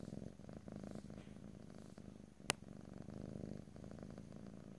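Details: Domestic cat purring in a close stereo ear-to-ear recording with no talking: a low rumbling purr pulsing in waves, broken by one sharp click midway.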